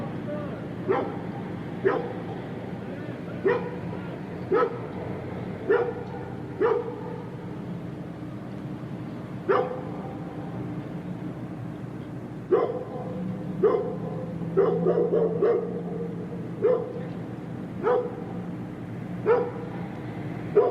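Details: Large dog barking repeatedly, single barks and short clusters at irregular spacing, with a steady low background murmur and faint voices beneath.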